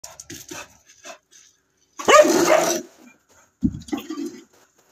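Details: A Cocker Spaniel gives a loud, rough bark during place-board training, then a second shorter bark a moment later.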